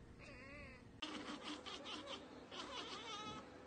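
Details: Domestic cat chattering on spotting a bird or insect it cannot reach; a short wavering, rising-and-falling call gives way to a run of rapid clicking, stuttering pulses.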